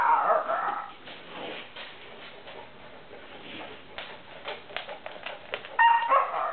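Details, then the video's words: Siberian Husky puppy from a rescue, rolling around on the floor and making odd noises, a habit it shows regularly, even while asleep; loud whiny yelps open and close the clip, with softer, busy rustling and grumbling noises in between. "making weird noises"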